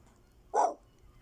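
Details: German Shepherd puppy giving a single short, sharp bark, mid-pitched and abrupt, against a quiet background.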